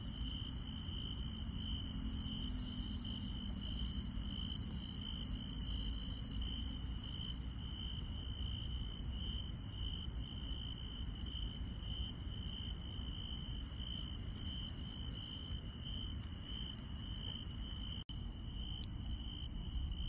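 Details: Rural night soundscape of chirping insects: an even, sustained high trill, with bursts of higher pulsed chirping that start and stop in patches and a steady low rumble; one brief dropout near the end.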